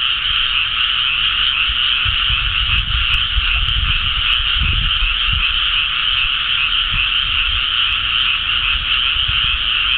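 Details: Frogs in a flooded rice paddy on Sado Island, Japan, early May 2010, after rice planting and some warm days, form a dense chorus of countless croaking voices merging into one steady, rattling wall of sound.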